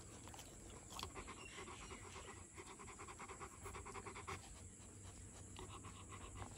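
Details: A two-year-old male Rottweiler panting rapidly at close range, quick rhythmic breaths of about three per second that continue evenly throughout, over a faint steady background hiss.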